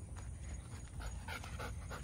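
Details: Benny, a Bernese Mountain Dog of about 100 lbs, out on a longer walk at sunset; breathy, rhythmic panting bursts come roughly every quarter second over a steady low rumble of wind.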